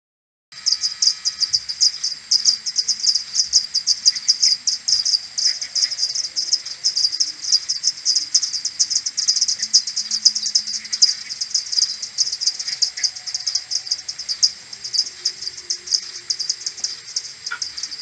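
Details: Common pipistrelle maternity colony returning to its roost in the morning on 21 May, recorded with an AudioMoth and slowed tenfold: a dense, unbroken stream of rapid high chirping pulses from many bats, overlapping continuously.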